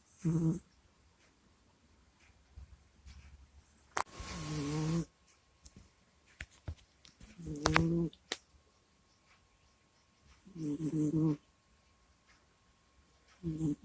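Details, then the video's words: Sleeping cat Kusya near a microphone: raspy low snore-groans recur irregularly among clicks and a burst of broadband rustling, with faint snuffles and a steady faint hum in a small room. "Прикольный Кот Куся Сопит, Храпит, Стонет и Кряхтит во Сне в Микрофон"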